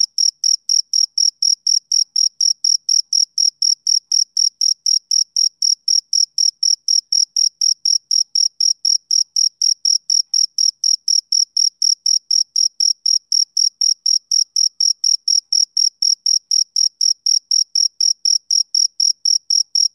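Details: Rhythmic chirping of a male cricket in summer evening stillness, brisk high-pitched pulses repeating about four times a second, evenly spaced and unbroken for twenty seconds, no other sounds.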